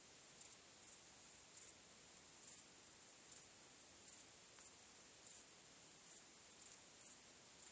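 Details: Night crickets keep up a continuous thin, high trill, topped by sharper chirp pulses spaced about every second, some louder than others, over a quiet background with no other sounds.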